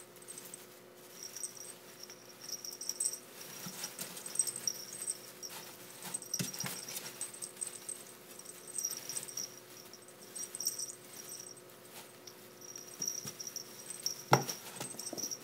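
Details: Ferrets in a fight, recorded with an 8mm camera app: bursts of thin, high-pitched squeaking come and go over steady scuffling and rustling, with a sharp thump near the end.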